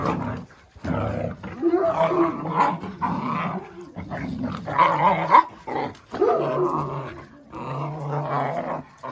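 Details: Jack Russell Terrier named Oscar growling in long rough bouts with whining, tonal rises mixed in, pausing briefly between bursts; music also plays.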